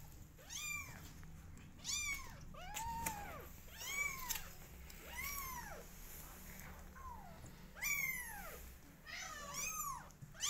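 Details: Kittens aged 20 days, from a loud cat family, call in a steady series of about ten short arched meows, some overlapping, over a noticeable low rumbling background.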